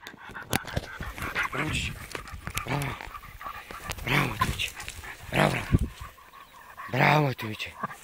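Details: A Fox Terrier on its first encounter with a wild boar gives sharp, excited barks and yelps at irregular intervals, with faint voices nearby.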